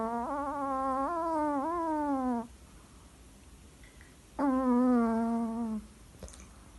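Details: Chihuahua Lolita from Capdepera snoring in her sleep: a long, slightly warbling, whistled nasal breath of over two seconds, a quiet gap, then a second steady whine-like snore, followed by a soft click.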